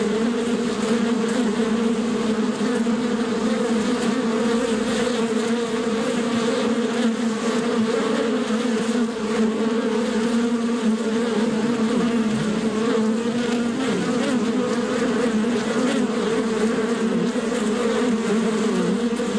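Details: Bees buzzing in their natural habitat: a dense, continuous low drone that wobbles gently up and down in pitch, like several insects hovering close together, steady in volume from start to end.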